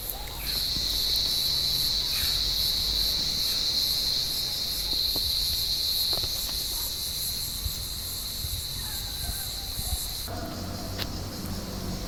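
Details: Cicadas calling from an olive tree on a warm evening while blind cats climb the branches hunting them; a steady, high, unbroken buzzing drone, loudest over the first six seconds, then softer and thinner, over low background rumble.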